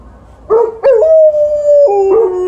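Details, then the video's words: Alaskan Malamute and Golden Retriever vocalising together: a rising yelp leading into a long level howled tone, then a lower wavering woo at the close. "Dogs are talking"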